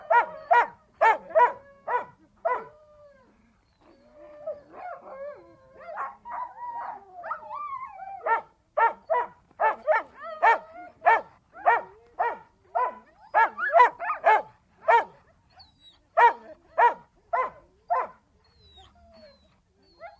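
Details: Siberian Husky vocalizing: quick runs of sharp, harmonic barks in rapid bursts, broken around the fourth to eighth second by a drawn-out, wavering whine-like howl, then more rhythmic barking in clusters until the end; no other clear sounds.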